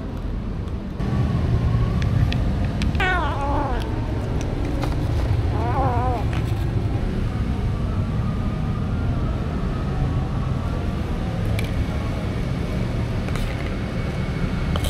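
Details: Stray cats being fed, recorded on a DJI Osmo Action: two wavering, rising-then-falling meows at about three and six seconds, set against a constant low engine-like rumble with faint clicks and scrapes.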